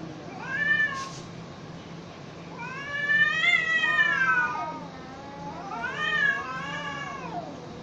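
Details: Domestic cats fighting: drawn-out, wavering yowls that rise and fall, three long howling bouts in quick succession with rich harmonics, over a steady low background hum.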